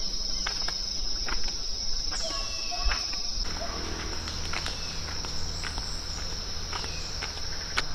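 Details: Morning cicada chorus in Mexican jungle near Palenque, cool before the heat: steady shrill droning throughout, overlaid by brief downward-slurred bird notes, light clicks and faint footsteps.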